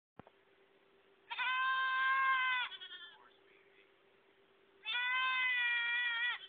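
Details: Baby goat crying with two long, loud, harmonic bleats, each lasting over a second, separated by a quieter wavering cry and a pause, with a steady low hum in the background.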